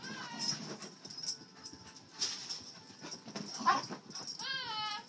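A Cocker Spaniel gives high, wavering whines with quick rising and falling pitch bends.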